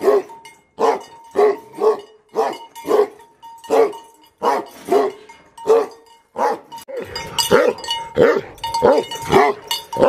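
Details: Several aggressive Tibetan Mastiff dogs (BhoteKukur) barking: booming, gruff barks repeated steadily, then overlapping and more frantic in the final seconds, with a faint tinkling tone in the background.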